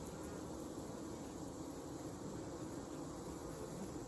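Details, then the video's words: Steady massed buzzing from a honey bee hive on a farm in Alexander County, North Carolina, recorded on a hot summer evening in August 2020; a continuous low drone with no pauses and a soft airy hiss. "Honey Bee Hive On Hot Summer Evening"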